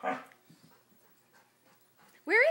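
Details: A Siberian Husky begging for peanut butter gives a short, rising, harmonic whine, with a person's voice in the background.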